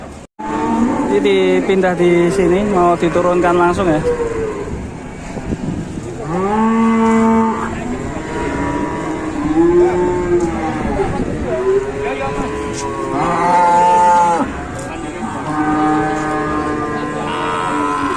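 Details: Large cow lying down and helpless, its owner panicking, gives long, loud moos with rich harmonics, some drawn out and wavering in pitch, about four calls over eighteen seconds; a few voices and faint background noise.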